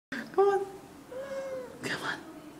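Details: Domestic cats named Calli and Gordon, a pair kept indoors; a single tonal meow with clear stacked harmonics, followed by a softer drawn-out note and a brief broadband sound, with a person speaking just after.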